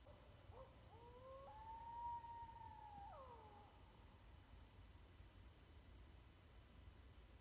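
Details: Howling East Texas coyote, opening with a couple of short broken notes before one long steady tonal howl that bends down at its end, heard over constant low background hiss.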